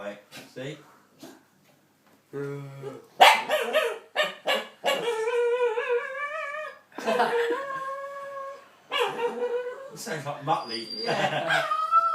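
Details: Pet dog indoors making strange drawn-out noises as the owner's nephew stares at him, the owner calling him a bit of a wimp; long, sustained, wavering tones broken by gaps, mixed with household chatter and reassuring speech.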